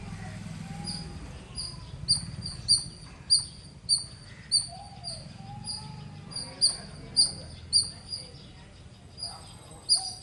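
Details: Squirrel giving loud, high, clipped chirps in uneven runs, sometimes paired, spaced roughly half a second to a second apart, over a soft low rumble of background noise.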